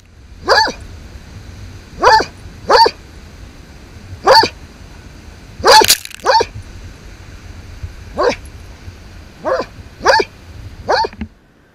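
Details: Basset Hound crab hunting on the South African coast; single loud barks at uneven intervals of one to two seconds, about ten in all, over steady low background rumble.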